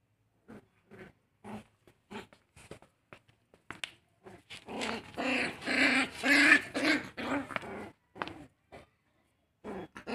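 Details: Puppies in an intense fight, giving short sharp yaps and growls in irregular bursts, then a dense stretch of snarling and squealing midway before the scattered yaps resume.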